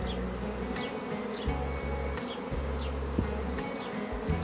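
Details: A natural honey bee swarm leaving a hive fills the air with a thick, continuous low drone of countless wingbeats, rising and dipping slightly as bees fly past, with faint brief high descending chirps now and then.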